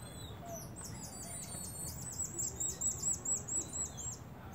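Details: Common marmosets chirping to each other, producing a steady string of short, very high, evenly spaced chirps, plus a thin whistled note running through, with low background hum underneath.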